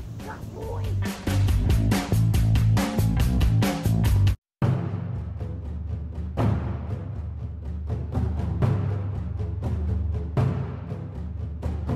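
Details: Dramatic music with pounding timpani-like drum hits and dense low rumble, a brief silent gap near the middle, then continuing percussive music with faint speech; no animal sound.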